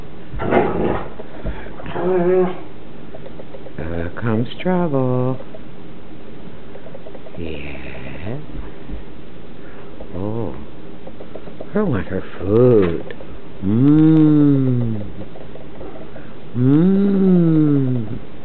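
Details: Newfoundland siblings Burley and Miss Priss wrestling in play, giving drawn-out, arching moans and whiny growls in separate bursts between pauses, with a woman talking to them over the sounds.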